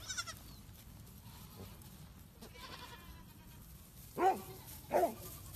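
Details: Baby goats with two short, quavering bleats near the end, following faint scattered rustling and soft background noise.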